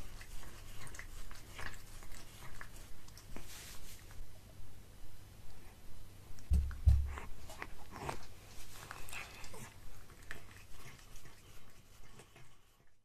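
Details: A cat eats a tuna mini stick indoors, chewing in a steady rhythm of about two bites per second. Each bite is a soft crunch, with a brief louder knock partway through and quiet room hum underneath.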